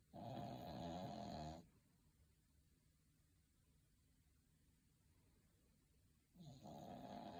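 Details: Sleeping dog snoring: a coarse, throaty snore lasting about one and a half seconds, followed by near-silence for nearly five seconds before another rough snore starts.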